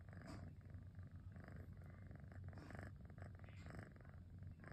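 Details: Relaxed on a rainy afternoon, Cosmos the house cat gives a rumbling motor-like purr, low and pulsing, with soft breathy rustles layered over it.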